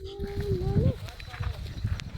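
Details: Goat kid from a large herd grazing in forest land, trailing after people and seemingly hungry; one steady mid-pitched bleat under a second long that lifts slightly at its end, over rustling, footsteps and nearby human talk.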